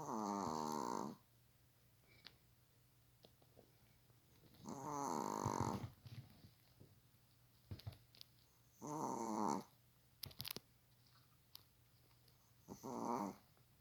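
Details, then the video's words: Sleeping pet dog on a sofa, lying on its back like a person and snoring loudly; four raspy, buzzing snores roughly every four seconds, each about a second long, with soft rustling between them in a small room. "사람처럼 누워 코고는 강아지 모습(애완견 코골이)"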